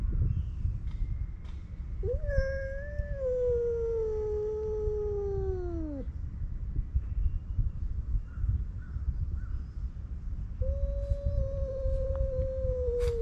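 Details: Stray male cats fighting on a cat island: a long descending wail lasting about four seconds, then a steady held yowl near the end, over heavy low wind-like rumble.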